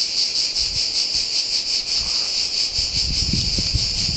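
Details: Pine forest cicadas at San Sostene, Italy, singing a loud unbroken shrill buzz with quick regular throbbing pulses, soft low rumbles underneath toward the end.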